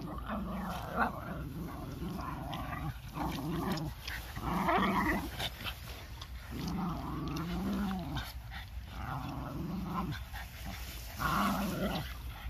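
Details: Four Boston Terriers, puppies and an older dog, play roughly together, growling and grumbling in low rumbling bursts; Boston Terrier.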